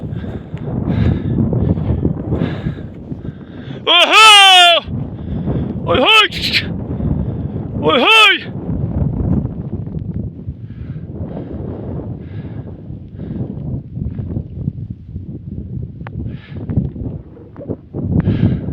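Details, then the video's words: Sheep bleating while a wolf attacks: three short quavering bleats clustered early in the clip, surrounded by steady Turkish conversation and outdoor rumble. "KURT SALDİRSi KOYUN"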